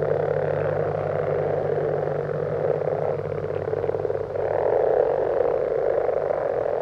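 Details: Common frogs call together at night in winter in a wetland in central France, a dense, soft purring chorus over a steady low hum.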